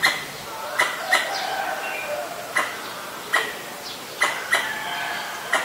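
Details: Danger call of a Pallas's squirrel (Callosciurus erythraeus), Ubon Ratchathani, Thailand, 1 January 2023, Nikon P1000; spaced harsh chucks, sometimes paired, against a soft background with light chirping.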